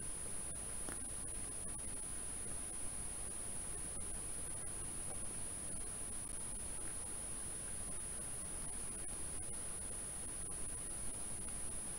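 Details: Only steady static hiss with a faint constant high electronic tone is heard, with no animal sound.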